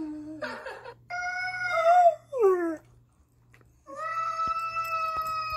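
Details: Irish Setter howling indoors in reaction to a recording of a cat yelling: a short falling yelp, then sustained tonal howls about a second long, one swelling and sliding downward, a brief pause, and a long steady howl.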